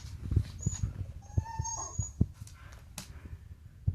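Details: Pet dog 'talking' with a high, rising nasal whine in the middle, between low thuds and soft huffs; a few short whimpers trail off toward the end.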